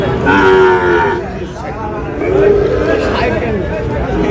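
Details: Sahiwal bull and heifer calves, bought by a farmer from Barishal on 19 August, give a steady, nasal moo followed after a pause by a shorter second one, with background hubbub of voices.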